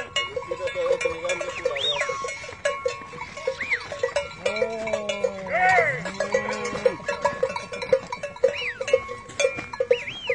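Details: Cows on a modern farm in Holland, 2019: one low, drawn-out moo of about two seconds with a slight rise and fall, over barn clatter, a steady mechanical hum and repeated high squeaky chirps.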